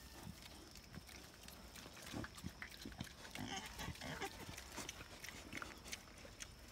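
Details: A wild boar and a sow, introduced to each other for the first time, give low, rough grunts and snorts in short, irregular bursts.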